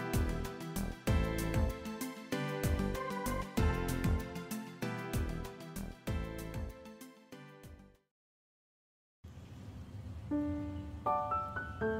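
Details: Plucked, rhythmic background music plays, stops in a brief silence, then gives way to soft chime-like tones over a quiet hum.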